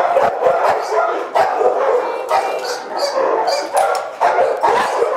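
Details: Shelter-caged Boxers barking in a crowd, with rapid overlapping barks, several sharp high yelps and short whines cutting through, and the noise level rising and falling in bursts.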